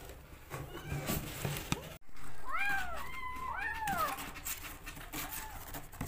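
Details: Rescue kittens jostling for bottle feeding give a burst of loud, arching meows in the middle, several overlapping and falling in pitch, among handling clicks and rustling indoors.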